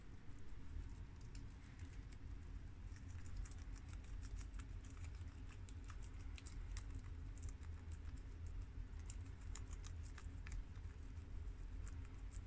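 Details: Four guinea pigs (two males, a tricolour and a red American; two females, a long-haired mini yak and an Abyssinian) munch freshly washed garden romaine lettuce, a rapid, irregular patter of crisp little crunches and clicks.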